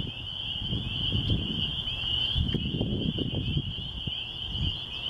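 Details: A countryside spring chorus of spring peepers outside a church, a steady shrill band of massed peeping notes that never pauses, over a muffled low rumble of wind.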